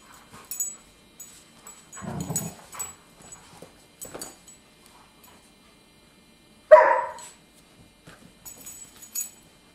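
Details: Two dogs at play, a 10-week-old puppy named X (Casablanca's Marakesh Express at Pandemont) and his 10-month-old Golden Retriever step brother Caesar; scattered rough grumbles and scuffling, a low growly burst near two seconds and a sharp yelp later.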